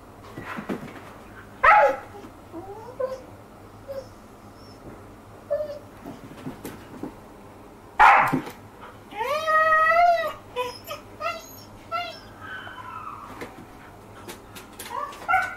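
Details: A female Siberian Husky, a mother playing with her pup, gives sharp barks and drawn-out, wavering whines that rise and fall in pitch.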